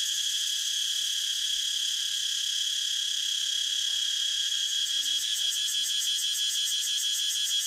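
A cicada gives a loud, steady, high-pitched buzzing drone without a break.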